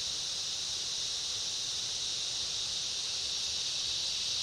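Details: Cicada chorus with other insects in a summer rainforest, a dense continuous high-pitched hiss held steady throughout without pauses, forming an unbroken wall of sound.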